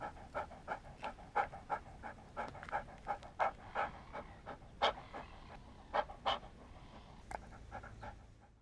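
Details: Dog panting: quick, rhythmic, breathy huffs at roughly three per second, with every few breaths louder and sharper than the rest, and no other sounds.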